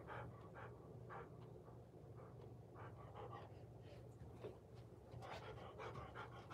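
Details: Golden Retriever watched by a surveillance camera, heard in soft irregular pants, breathy puffs that grow busier toward the end, under a persistent low electrical hum.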